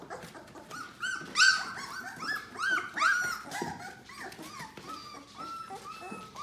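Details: Eighteen-day-old yellow Labrador Retriever puppies, seven in a litter, indoors; a run of loud, harmonic, rising-then-falling squeals and whimpers, clustered early, then thinner drawn-out squeaks alongside rustling.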